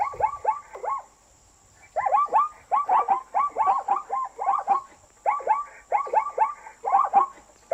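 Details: Zebra barking in quick yelping notes, a short burst followed by a one-second pause and then a long, rhythmic string of sliding barks; a faint high electronic whine underlies the recording.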